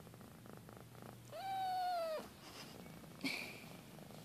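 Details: A British Shorthair kitten (Felis catus) gives one drawn-out meow that rises slightly, then sags at the end, while playing and wrestling with toys.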